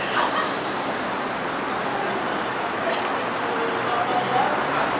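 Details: A Japanese pine cricket in city shrubbery in autumn gives one pure high chirp followed by a rapid triplet of bell-like notes, then falls silent against a constant urban noise bed.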